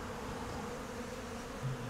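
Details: A dense, steady hum of many Western honey bees at an open hive during an inspection. The hive was queenless after winter and was split three weeks earlier. The bees are agitated but not aggressive; the owner thinks the drones cause it.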